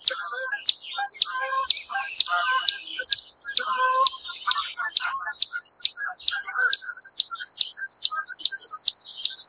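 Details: A wild chipmunk gives a steady series of sharp, high chips, about two every second; it later stands up and its calls gradually speed up.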